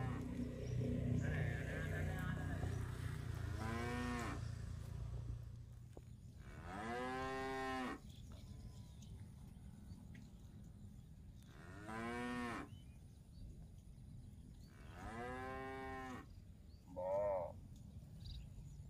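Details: Cows roaming a grassy park while feeding on fresh grass: four long moos several seconds apart, each swelling then fading, ending with a brief, higher and thinner bleating call, with low rumble early on.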